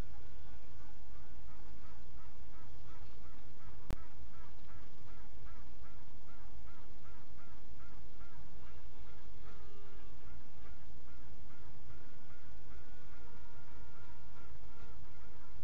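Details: Honey bees quacking at midnight on 27 June 2016: rapid series of short, nasal pulsed notes repeated many times over a constant hum, later a longer steady tone, with a single sharp click.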